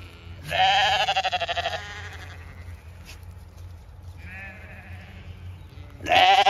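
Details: Ewes in a large flock on a regenerative farm in County Kilkenny, Ireland, around feeding time: a loud, quavering bleat lasting over a second, then a fainter bleat and a final loud bleat, over low farm background rumble.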